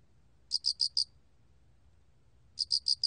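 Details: Two high, ringing four-pulse chirps from an alrak cricket, recorded in 2020, about two seconds apart with a soft low rumble beneath.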